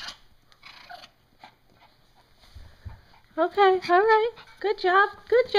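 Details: Two 3-month-old Morkie puppy brothers, Nike and Gucci, playing fetch together indoors; after a quiet stretch of shuffling and faint speech, loud high whining yips with rising, bending tones come in rapid bursts through the second half.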